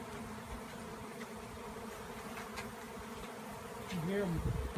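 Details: Honeybees in a frenzied swarm following their removal from a tree. A steady droning buzz is broken by faint taps. A man's voice enters near the end.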